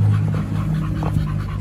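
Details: Dogs Oliang and Nomyen pant eagerly at a dog hotel as a raw chicken and pork meal is about to begin; soft, quick breathy bursts over a steady low hum.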